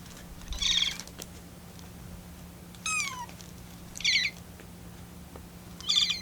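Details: Rescued kitten on day 25 of care, calling while it waits for cooling milk; short high-pitched trilling mews with a warbling, bird-like vibrato and one longer falling meow, separated by quiet pauses.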